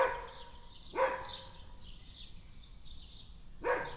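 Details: Dog barking in a backyard: two short, sharp barks about 2.7 seconds apart, with soft bird chirps and twitters continuing in the background between them.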